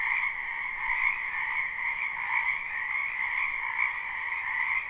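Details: Numerous frogs croaking in a spring wetland, recorded live without looping: a loud, unbroken, trilling chorus in two high bands with small surges in volume, and nothing else heard.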